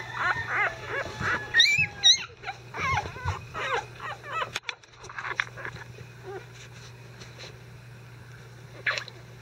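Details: Five-day-old Icelandic Sheepdog puppies, disturbed while their bedding is changed, give thin high squeaks and short rising-falling whines in quick bursts, fading to scattered faint peeps, over a steady low hum.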